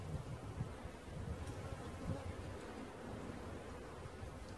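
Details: Bee swarm during its capture, a dense, steady low droning hum with soft rustling bumps, broad and unbroken throughout the short stretch.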